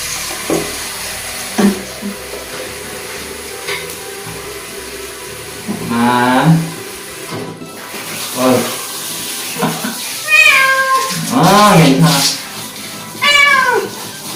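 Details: A former stray male Korean shorthair named Soso cries through his indoor bath: scattered short mews, then a run of loud, arching, strained meows near the end, splashing water beneath.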